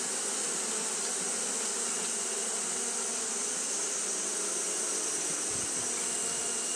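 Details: Japanese honey bees fanning continuously on a hot day: a dense, steady droning hum with layered low tones, under a constant bright high-pitched hiss that stays level throughout.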